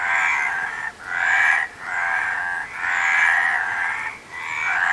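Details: Several frogs croak in waves of grating, pulsed calls. Each burst lasts roughly a second and is followed by a brief quiet dip, so the rhythm rises and falls repeatedly.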